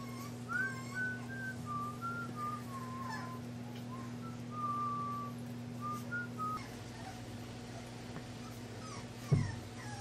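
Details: Scout and Boss, young English bulldog puppies at Siess Ranch, give a string of thin, high whistle-like whines, some sliding down and others held flat, over a constant low hum with a sharp knock near the end.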